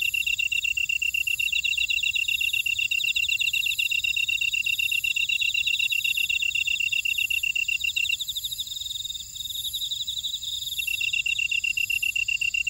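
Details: Insect chorus from a buckwheat field in Ora-dong on volcanic Jeju Island, South Korea: a dense high pulsing trill that drops out for about three seconds near the end, then resumes, with rasping buzzes and very high shimmering bursts.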